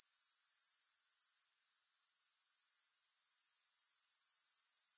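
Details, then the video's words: High, pulsing grasshopper buzz, about four beats a second, breaks off briefly into a soft hiss for under a second, then gradually rebuilds to its full steady trill; no music accompanies it. "3 Hours of Grass Hopper Sounds"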